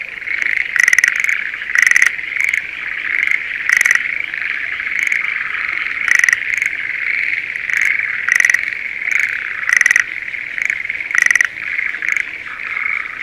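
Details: Rice paddy near Sendai, Japan, in spring, with breeding Schlegel's green tree frogs: brief rattling calls sound at irregular intervals of one to two seconds over a dense, continuous frog chorus.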